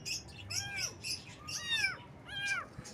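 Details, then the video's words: Baby kittens on a morning, giving high, arched meows that rise and fall, about four calls in three seconds, each roughly half a second long, with faint chirping in the background. "Unbelievable! Kitten Meows vs. Unexpected Sounds"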